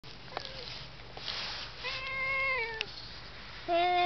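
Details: Domestic cat talking to itself. A faint short mew, then a long, level, tonal meow that drops at the end, followed by the start of another steady meow.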